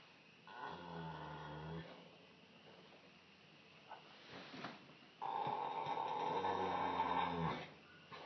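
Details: Horse named Huey asleep in his stall, snoring in two slow breaths: a low buzzy drone of just over a second, a lull with faint rustling, then a harsher, louder rattling snore of about two seconds.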